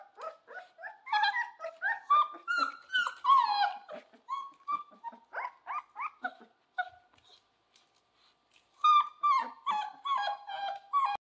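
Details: A Central Asian Shepherd puppy howls in thin, high, wavering notes broken into short yelps and whines, in rapid uneven bursts with brief pauses, while playing with towels put down for it to pee on.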